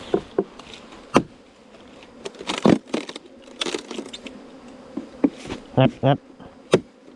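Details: Bees nesting inside a bamboo stem four metres long: a low, steady buzzing hum runs beneath the whole recording, repeatedly broken by sharp knocks and taps, with a few brief voice-like sounds.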